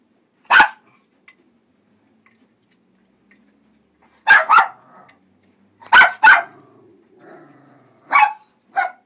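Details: Suspicious terrier meeting a front-load washing machine for the first time, giving sharp, high barks: one isolated bark, then three close pairs of barks spaced about two seconds apart, in an otherwise quiet indoor setting.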